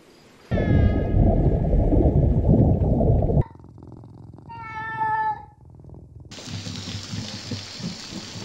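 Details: Domestic cat giving drawn-out, harmonic meows: a long descending cry buried under heavy low rumbling noise, then a shorter, clearer wavering meow, followed by a burst of broad hissing noise.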